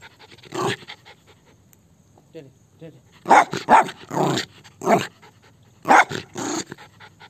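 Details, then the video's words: Indian Spitz dog named Malu, described as aggressive, gives a few short, sharp barks in quick bursts. A person greets it by name at the start, and speech mixes in between the barks. "indian spitz dog barking"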